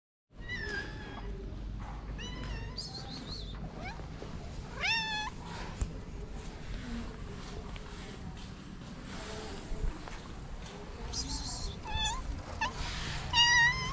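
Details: Stray calico cat with a black spot on the nose, living on the street in Morocco, meows repeatedly in a series of short, rising-then-falling harmonic cries, with several higher, wavering calls near the end over steady low background rumble.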